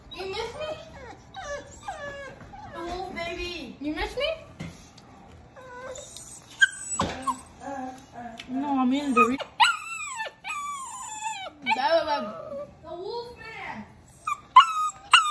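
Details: Cane Corso puppy undergoing kennel training, crying persistently: a long run of high whines and yelps, many sliding downward, some drawn out, with brief pauses and a few sharp clicks.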